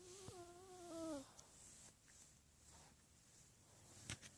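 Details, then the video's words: Miniature Pinscher, a pet dog, making noises: one tonal whine lasting about a second, fairly steady then dipping at the end, followed by a quiet room with a few soft clicks and a sharp tap near the end. "Min pin making noises"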